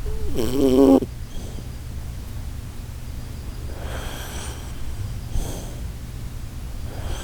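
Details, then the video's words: Sleeping Shiba Inu Koharu lets out a ship-horn snore compared to the Titanic departing, a wavering, buzzy, honking tone under a second long, followed by several soft, airy breaths. "柴犬小春 10:07タイタニック出航のいびき"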